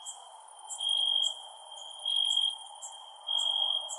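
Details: Crickets at night: short bursts of a steady, high, pure trilled chirp roughly every second, with faint sharp ticking clicks above and a low, even hiss underneath.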